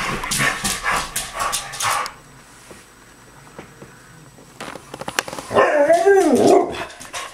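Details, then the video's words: Excited by a squirrel in the front yard, a dog fires off a rapid run of high yips for about two seconds. After a lull come clicks and then a wavering, rising-and-falling whine. "Squirrel annoying Dog"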